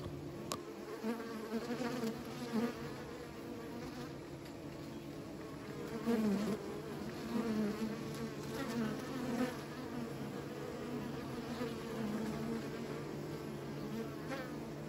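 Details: Bees kept by beekeepers, a dense steady buzzing drone of many insects with low layered hum, gently swelling and fading throughout without pause, with a faint constant high electrical whine in the background.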